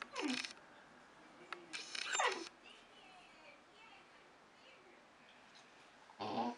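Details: Hungry Basset Hound puppy begging at dinner time: two drawn-out, falling whines, the second louder, separated by a soft pause, over steady indoor room noise with a brief rustle at the end.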